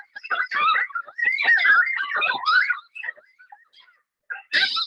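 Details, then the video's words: Trail-camera recording of probably two or three coyotes howling in a wavering chorus of overlapping yips, barks and quavering howls, ear-splitting and sounding like something being murdered, though such howling is not related to hunting and may greet family members. "So this is a video, trail camera video of some coyotes howling."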